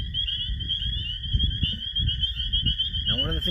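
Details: A steady night chorus of high, piercing spring peeper (Pseudacris crucifer) peeps rings out over a man's voice: males' advertisement calls to hold a territory and attract a female to mate.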